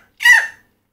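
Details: A mountain chicken frog (Leptodactylus fallax, 'crapaud') of Dominica, a species now very rare in the wild after chytrid fungus, gives a single loud, harsh, scream-like alarm/stress call when caught and handled, throwing back its head and opening its mouth.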